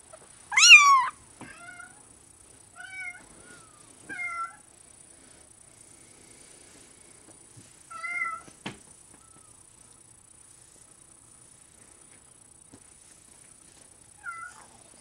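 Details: A large-spotted Bengal kitten named Benito lets out one loud, high, sharply bent meow at the start, then a few softer, brief chirping mews at long intervals, with quiet stretches between them.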